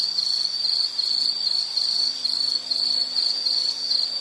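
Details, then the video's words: An insect calls in a natural outdoor setting, its thin high trill throbbing in quick, slightly uneven pulses, with a faint low hum beneath. "Sound · Nature Sound of nature sounds scenery L · insect"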